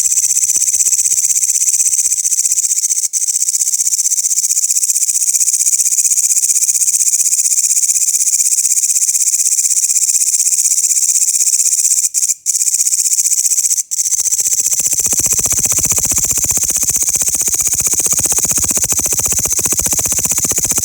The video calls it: the loud sound of grasshoppers